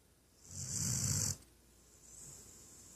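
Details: A female Weimaraner snores with a deep, rumbling, rattly breath lasting about a second while napping, snoring loudly.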